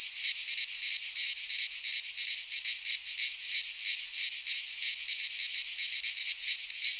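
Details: Cicadas singing in midsummer in a Greek pine forest: a dense, continuous high buzzing chorus with rapid pulsing throbs, several per second, steady loudness and no other sounds.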